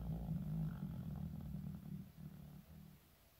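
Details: A 15-year-old Shiba Inu named Shizukun snores in its sleep. A steady, low, buzzing snore with a rough rattle slowly fades over three seconds.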